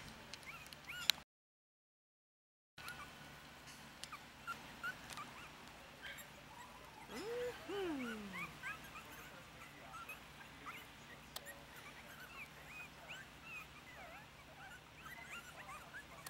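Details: Four-week-old Yorkshire Terrier puppies Lily, Bam Bam, Louie, Alexander and Willow eat a mix of puppy milk and ground puppy food from a dish. A short whining whimper rises and falls midway, among faint squeaks and soft messy eating noises.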